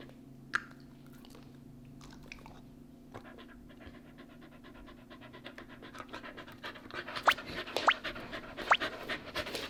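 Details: Pepper, a male pet Shiba Inu, politely demanding a nugget treat while being told to sit: steady rapid panting, then a few short, thin rising whines near the end over rustling.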